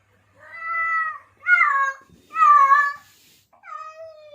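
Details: Male domestic cat in heat, calling to attract females: four drawn-out, nasal meows. The first is long and fairly level. The next two swell and waver. The last is shorter and falling, with brief pauses between.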